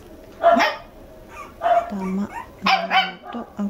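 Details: Red male Toy Poodle puppy, two months old, born December 5, kept indoors at a house in Machiya, Arakawa, Tokyo, giving three short, bright barks about a second apart, with low steady tones and people talking between.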